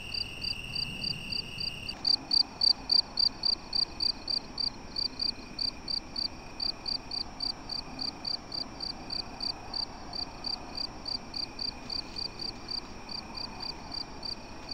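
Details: Night-time crickets heard while a European badger is filmed: a short steady tone, then bright high chirps repeated in a quick, even rhythm that slowly fade, with a constant thin whine.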